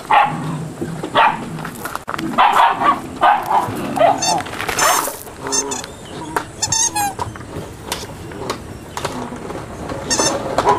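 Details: Several eight-week-old Malinois puppies, a litter, giving high, sharp yips and squeaky whines in irregular bursts over a low background murmur, with brief clusters of rapid yelps around the middle.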